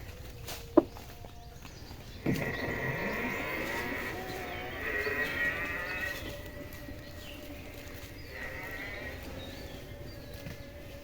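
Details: Water buffalo grazing in open fields, tended by a buffalo herder. A long, drawn-out low call slides downward and then holds steady for several seconds. A sharp knock comes just before it, with a man's voice and rural background noise.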